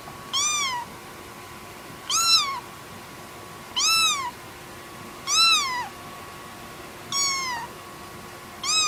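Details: Kitten meowing repeatedly: high, arched meows rising then falling, about one every one and a half seconds, six calls, over a faint steady background hum.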